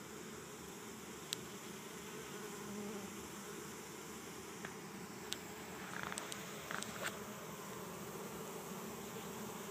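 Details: Bees from a swarm of 6000-8000 in a Chico, California yard walk into an empty hive during capture in 2013, some fanning their wings. A quiet, even droning hum is heard, with scattered light taps and rustles.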